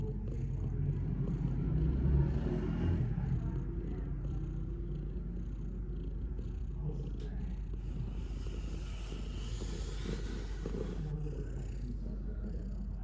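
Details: A domestic cat purring: a continuous low, rumbling vibration with a steady throbbing pulse, briefly louder near the start, with faint hiss in the background.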